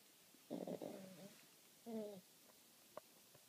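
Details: Dexter the pug snoring: one long, rough, buzzy rasp with a steady droning tone, then after a pause a second, shorter snort-like rasp, followed by a faint click in an otherwise quiet indoor setting.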